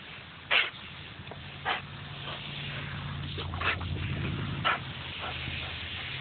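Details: Axle, a dog, playing with a garden hose outdoors: four short, sharp barks at irregular spacing over about six seconds, the loudest first, set against a steady low hum and faint background noise.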